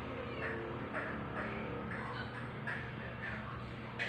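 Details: Aldous, a one-week-old male rescue kitten being introduced to foster mother Pepper, a black cat, filmed 4 July 2022. He gives short, thin meows again and again, roughly twice a second, about nine in all, over a low indoor hum.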